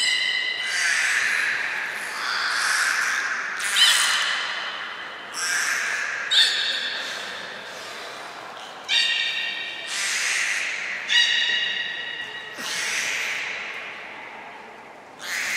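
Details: Belugas Hodoi, Taanya and Mirai during a training session at Nagoya Port Aquarium on 1 November 2020; a run of nasal, harmonic squawks and creaky whistled bursts, about ten in quick succession, some holding steady pitch, others sliding briefly.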